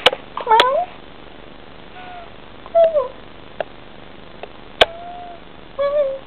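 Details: Indoor Bengal cat talking to her kitten with a series of short chirping meows, some rising then falling, spaced over several seconds, mixed with sharp clicks and taps.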